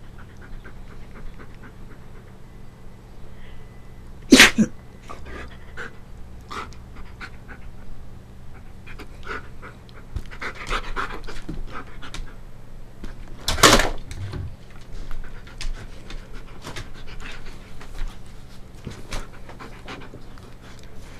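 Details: Husky at play pants softly in rapid breaths, broken by two sudden loud sneeze-like bursts, one early and one midway, with scattered small clicks between.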